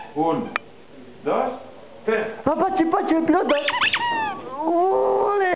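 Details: Patxi, a short French Bulldog that can't reach the sofa, whines while trying to get up indoors: high, wavering whimpers and a rising-falling howl-like whine, mixed with Catalan speech from people nearby.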